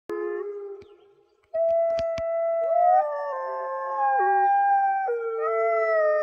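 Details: Several wolfdogs howl together in long, sustained, overlapping tones that shift in pitch, apparently after hearing their own echo.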